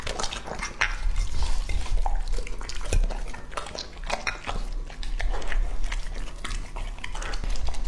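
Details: Lucky, a male English-type Labrador two and a half years old, eats indoors from a dish. Busy clattering licks and chews mix with bowl knocks, an irregular rapid patter of wet clicks over a steady low hum.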